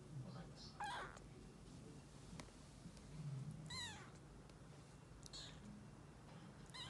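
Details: Rescued calico kitten, two to three weeks old, meeting a resident black cat it had hissed with the day before. Thin, high meows with bending pitch come at about one, four, five and seven seconds over a quiet room hum.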